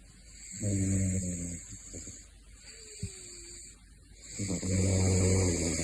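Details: Male caracal snoring in his sleep: two long, low, rumbling snores about four seconds apart, each with a rasping inhale, against a steady high whine.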